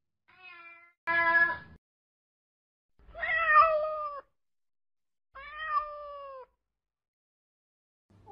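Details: Domestic cat meowing: a faint short mew, then a loud abrupt meow, followed by two longer drawn-out meows with falling, wavering pitch, spaced roughly two seconds apart, and the start of another at the end.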